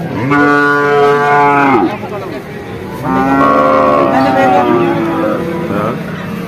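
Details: At Vaniyamkulam market in Kerala, India, a bull calf lows twice, each moo a steady harmonic drone of about one and a half to two seconds ending in a downward slide, amid distant market voices.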